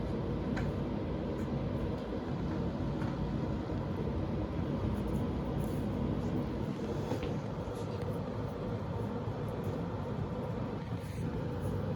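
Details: Continuous low vehicle or train rumble fills the recording, with no animal calls.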